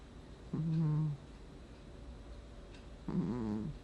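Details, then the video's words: Sleeping house cat in August 2020 snores in low, grating bursts, two short rumbles roughly two and a half seconds apart over a faint room hiss. "Кот храпит во сне"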